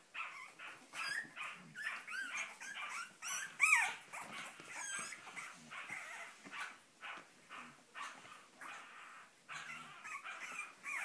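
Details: Several Cavalier King Charles Spaniel puppies, the Sarlat and Chloé litter born 7 April 2014 in Spain, trying to get out, give shrill, overlapping yips and squeaky whines in quick succession, one louder cry near the middle.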